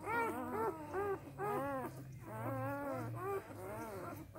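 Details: Samoyed puppies only three days old, A litter, whining in bright arched whimpers that rise and fall in quick succession, several pups overlapping, over a steady low hum.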